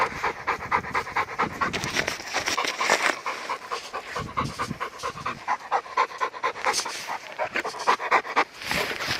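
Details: Labrador Retriever panting on a mountain walk in an unexpected heavy snowfall in late March, Gangwon-do, South Korea; quick, breathy, rough puffs repeat about twice a second, steady throughout.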